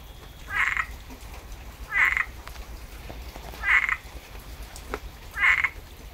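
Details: After rain in Tampa, Florida, a frog gives four short, harsh, mid-high croaks, each lasting a fraction of a second, spaced about one and a half to two seconds apart, with faint background hum.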